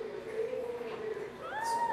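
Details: Shih Tzu puppy from a chocolate and white litter born June 2013 at Canil Farina Florim kennel, giving a thin tonal whine that holds level then bends upward near the end, with soft background noise.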